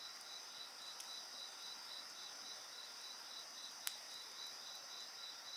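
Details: Insects singing at night beside a bonfire: a steady high shrill trill overlaid by a softer pulsed chirping, with sharp crackling pops from the fire, one loud snap near the end.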